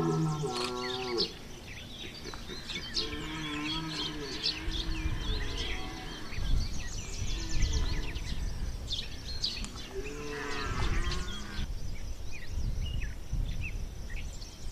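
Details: Rutting red deer bellowing at Chambord in September 2021: deep, drawn-out, harmonic roars recur every few seconds, some grunting, others long and moaning, with faint bird chirps and a rumbling background.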